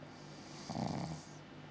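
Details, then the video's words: Sleeping Pug-Zu puppy, six months old, giving a single short, soft, rasping snore amid quiet background hiss. "Pug-Zu Pup snoring"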